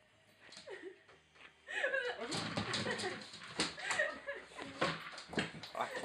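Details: A pet dog at play gives short, curving whines and yelp-like cries, rising and falling, tangled with people talking in Swedish and thumping, scuffling play noises.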